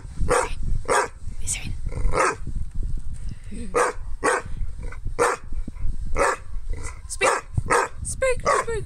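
A Rottweiler–Shar Pei mix barks in short, sharp bursts, repeated roughly every second.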